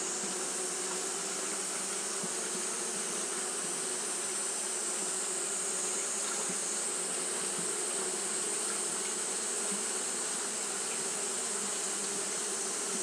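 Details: On a hot day, Japanese honey bees keep up their fanning, giving an unbroken, even drone of many wings humming together beneath a persistent bright hiss.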